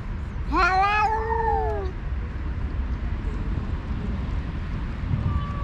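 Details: Stray alpha cat on a cat island fighting by voice with a rival group leader while other cats eat; one drawn-out wavering yowl, rising then slowly falling, about a second and a half, over steady low rumbling background noise.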